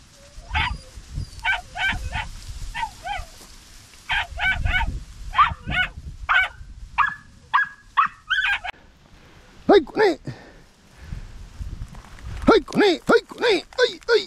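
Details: Podenco puppies hunting a rabbit in open countryside, giving bursts of high, harmonic yelping barks, short yips repeated rapidly in irregular runs, some sliding downward in pitch, while a man shouts encouragement to a dog called Faruk.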